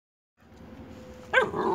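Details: Boxer dog playing, one of an active pair with a Boxer puppy; a single sharp bark bursts out near the end after a quiet stretch, followed by a brief laugh.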